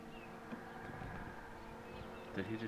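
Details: Continuous low hum of honey bees while the queen box is pulled, a layered steady drone, with a short burst of human voice near the end.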